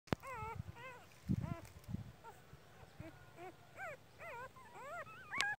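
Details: Border Collie giving birth outdoors in a natural setting: a run of short, high, whining squeals, each arching up then down in pitch, several every second, with low thumps and rustling handling noise between them.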